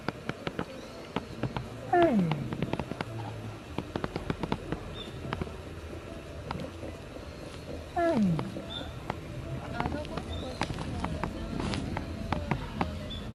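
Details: Asian black bear (Ursus thibetanus), two brief downward-sliding wails about six seconds apart, set against a dense crackle of clicks and low rumbling.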